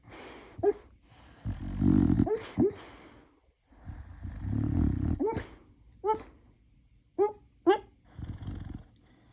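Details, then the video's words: Snoring Boxer dog: deep, grating snore bursts alternate with short, high, rising whimper-like squeaks and quick nasal snorts, with brief silences between breaths. "Boxer dog snoring"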